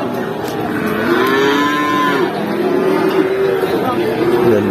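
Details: Cattle being traded at Pati cattle market, Indonesia: overlapping low, sustained moos that swell and sag in pitch, heard over constant crowd chatter, vehicles and general market noise.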